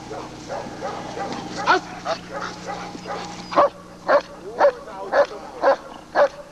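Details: Lord v. Gleisdreieck, an East German (DDR) working German Shepherd, recorded off a TV screen in 1995. Noisy muffled commotion gives way to six clear, evenly spaced barks about half a second apart.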